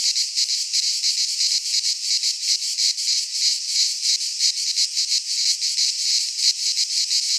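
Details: Cicadas in midsummer in a Greek pine forest, producing a constant shrill, rattling buzz that pulses quickly and regularly, the only sound present.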